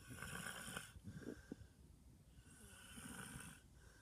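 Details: Snoring dog named George, breathing in long buzzy rattling snores, one drawn in then released, with hissy airy breaths between them; steady and unhurried indoors.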